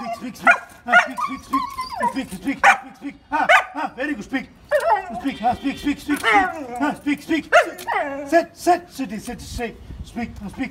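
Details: Doberman dog in early training, on day five, barking on the command "speak"; a man repeats "speak" over and over while short, sharp barks answer between and over his words.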